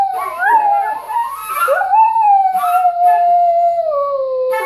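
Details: Pet whippet howling along as its owner plays flute, a long wavering tonal howl sliding up then slowly falling in pitch, mixed with breathy flute notes.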